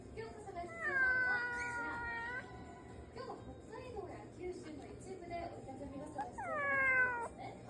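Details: Rescued house cat meowing because it wants to play with its owner: a long, drawn-out, level meow with rich overtones, then softer murmurs, then a second sharply falling meow, over a faint steady hum.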